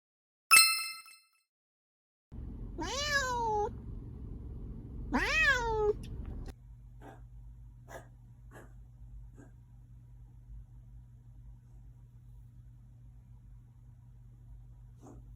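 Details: Siamese cat taken to an animal hospital for a cough, meowing twice indoors: two drawn-out, falling-rising meows about two seconds apart after a brief click, then quiet room hum with faint ticks and a woman's voice nearby.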